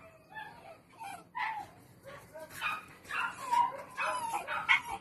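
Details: Styrian weekend for Lenny, the Parson Russell Terrier Attractive Aramis of Green Spirits: whimpering, squeaky yelps that climb into louder, shrill yips near the end, with pitch bending up and down.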